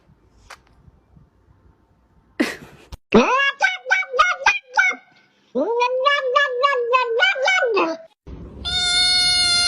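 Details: Cat heard in a compilation of funny cat moments: a series of quick, pulsed, nasal meow-like cries, then a longer wavering yowl, ending in a high, steady, drawn-out tone; faint background sounds early on.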